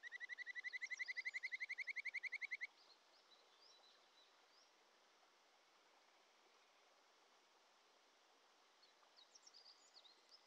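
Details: Wild Kajika frog (Japanese stream frog) at a mountain stream in the Shin'etsu region in early July: a rapid, even trill of about twenty-five bright whistled pulses lasting under three seconds. Steady rushing stream water follows, with faint chirps near the end.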